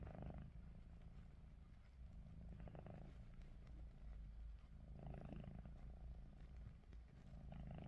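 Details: Ruby, a pet cat, snores with her eyes open: soft, low, raspy breaths that swell about every two and a half seconds over a steady low hum.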